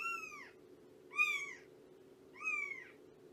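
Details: Shelby, a female shelter cat of about two years cared for by Purrfect Pals, meows three times in quick succession during a morning visit. Each call is clear and arching, the first longest, set against a faint steady hum indoors.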